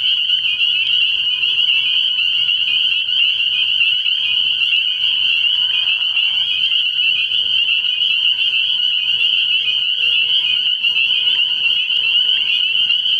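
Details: Spring peepers calling together at night from a frog pond early in the year; a dense, continuous chorus of shrill high peeps blends into a steady ringing band, with many callers overlapping throughout and no pauses.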